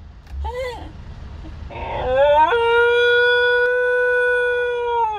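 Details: Howling by a young pet dog still waking from anaesthesia after neutering: a short wavering rising note, then a scooping rise into a long, level, slightly falling tonal howl over three seconds.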